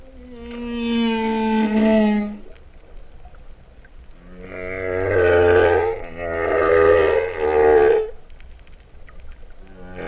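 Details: Underwater humpback whale singing off Vava'u, Kingdom of Tonga, September 2015, likened to cattle mooing; a long smooth falling moan, then a pause, then two drawn-out, buzzy, harmonic-rich moaning notes with a low rumble beneath.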